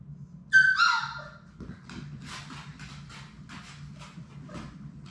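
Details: Six Labrador Retriever puppies playing in their puppy play room: one sharp, high whimpering yelp that slides downward, followed by scuffling and soft thumps of play over a steady low hum.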